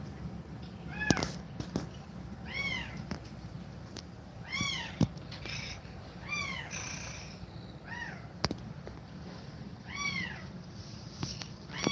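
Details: Cat feeding milk to kittens while breathing fast: about eight short, high, arched mews come in quick irregular succession, mixed with sharp clicks and rustles over a constant low hum.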